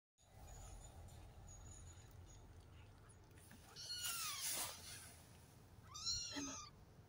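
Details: A three-week-old Maine Coon cross kitten gives two thin, high-pitched mews that rise and then fall.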